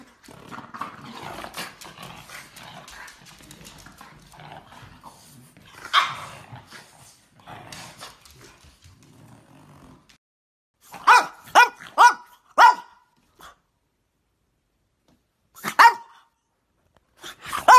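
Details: French Bulldog puppies at play: a long stretch of low growling and scuffling noises gives way to a burst of four sharp, high-pitched yapping barks, then a pause and two more short yaps.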